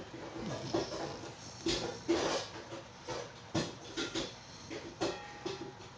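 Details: Puppy snoring while asleep, giving short snorting breaths roughly every half second to second, each a brief noisy burst with a faint low hum between them and little else audible.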